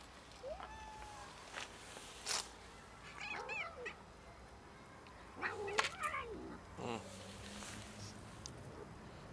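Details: Cats and kittens as a pregnant dog nearly raids them; several short meows with rising then falling pitch, scattered through the clip, with a denser burst of overlapping meows near the middle over faint outdoor background noise.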